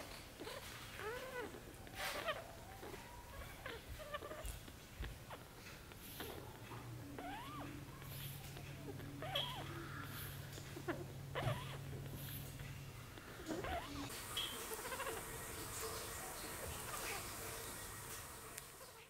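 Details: Three-week-old Shih Tzu puppies squeak and whimper in short, high, arching whines, several overlapping in the first ten seconds, with a steady low hum midway and a broad hiss in the final seconds.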